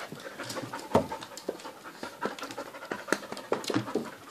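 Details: Dog panting indoors in a small room, a fast run of rough, airy huffs at an uneven rhythm, some louder gasps standing out, with a person speaking Dutch nearby.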